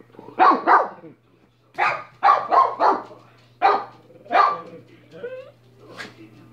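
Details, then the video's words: Dog Minnie barks in a rapid series, a pair then a fast triple and two further barks, followed by softer whiny squeaks and a thin yelp near the end over a low hum. "Minnie barking for 5 minutes"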